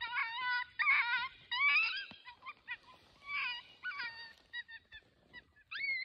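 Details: Distressed coyote pup giving shrill, quavering yelps and whines, some sliding upward, in irregular bursts about every second, with louder wailing notes early and sharper, shorter cries later.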